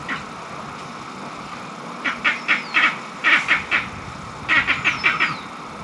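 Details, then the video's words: Angry green monkeys in Barbados, possibly disputing mango trees or fighting for power within their troop: harsh, quacking bursts come in rapid runs of four or five, with pauses between runs, over a steady hiss of background noise. "Angry Green Monkeys in Barbados"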